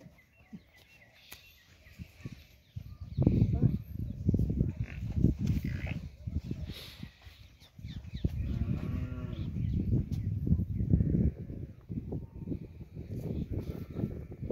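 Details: Banni buffalo on a dairy farm, giving deep, low moaning bellows, loudest from about three to eleven seconds with a drawn-out harmonic groan near the end, under chatter of people nearby.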